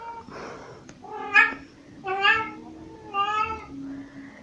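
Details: Pixie, a very vocal pet cat carrying toys around, meows indoors: three or four drawn-out, harmonic meows about a second apart, each rising then falling, in a small quiet room.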